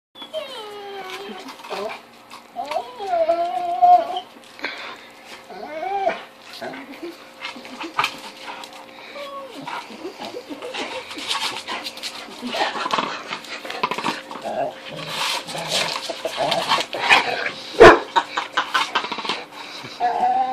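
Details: Rottweiler Zena, a pet dog indoors, cries in frustration while trying to bite into an unbreakable 10-inch wiffle ball; high wavering whines rise and fall in the first seconds, followed by chewing, scraping and bumping noises and a steady background hum.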